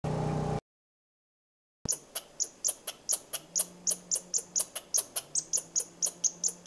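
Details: A squirrel chirps at the person filming, giving a fast, steady series of sharp, high chirps, several each second.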